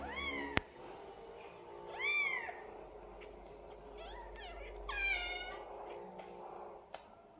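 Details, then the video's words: Tiny kitten, twelve days old, giving a few high-pitched arching meows, some rising then falling, spaced unevenly with a sharp click near the start and at the end; soft steady background noise. "Anak kucing meong meong hari ke 12"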